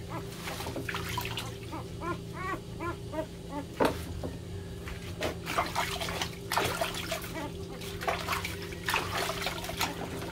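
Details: Puppies crying loudly, vying for attention: a quick run of evenly spaced rising-falling whimpers around the second to fourth second, then scattered yelps and splashy noisy bursts over a constant low hum.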